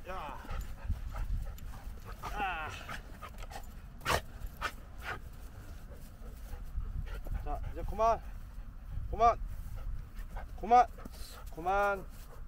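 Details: Henry, a large Standard Poodle, playing and play-biting during outdoor exercise at a local park on 11 February 2021. Short harmonic yelps and barks come in bursts over the second half, with a man's voice calling and wind noise throughout.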